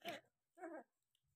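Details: Labrador Retriever puppies, 11 days old, indoors: two short, harsh yelps about half a second apart, each brief and nasal, followed by quiet.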